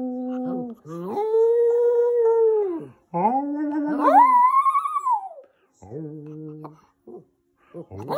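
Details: A male Lhasa Apso "sings" indoors: drawn-out, clear, tuneful howls, each holding a steady pitch before swooping up higher, followed by shorter whimpering notes, with a faint human voice.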